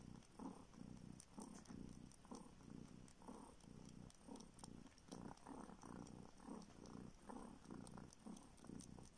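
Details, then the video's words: Rescued homeless kitten in a village in the north of Siberia purrs while sucking a finger for milk; rumbling purr swells and fades roughly once a second, mixed with light smacking suckling sounds. "Kitten SUCKS finger in search of milk!"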